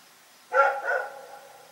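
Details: A single two-part bark from Rex the dog at night, a sharp onset then a slightly weaker second pulse trailing off, against a quiet background.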